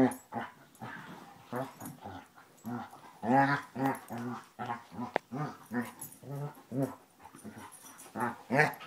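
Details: Basset Hounds Tracker and puppy Ranger having a great time rough housing, sounding off with a steady stream of low, throaty barks and grumbling yaps, closely spaced throughout, with a single sharp click midway.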